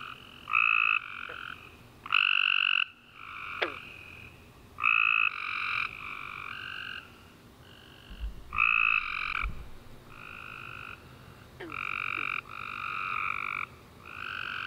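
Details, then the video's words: Nighttime tree frog chorus following a warm, rainy summer day: many overlapping buzzy trills, one after another with little pause, plus a few brief sharply falling chirps and a low thump in the background. "Tree Frog Chorus After A Warm Rainy Day"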